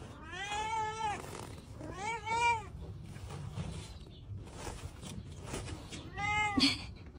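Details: A domestic cat in a funny pet-fails compilation gives three drawn-out meows that rise and then fall. They come in two close together, then one more after a pause, over a steady background hiss.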